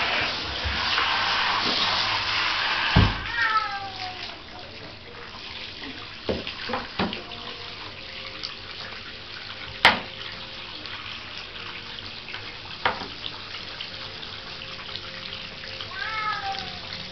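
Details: A young female Bengal cat, fascinated by water, gives two brief, downward-sliding meows over the steady hiss and splash of running tap water.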